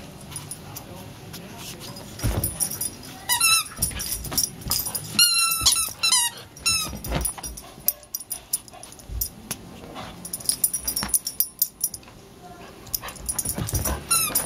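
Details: Charlie, a hyper puppy, whimpers and yips in sharp, high-pitched bursts grouped in short clusters several seconds apart, with quieter gaps between; a person speaks faintly nearby.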